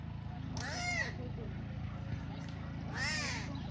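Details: Abandoned tiger cubs at a large lion park in Belogorsk, Crimea, give two separate arched, squealing mews about two and a half seconds apart, with people talking and a low mechanical hum throughout.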